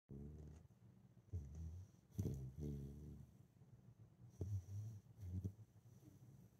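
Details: Female Husky puppy sound asleep and snoring heavily: deep, rumbling, low snores in bursts of about half a second to a second, some with a rattling buzz, coming in uneven groups over several seconds in a quiet room.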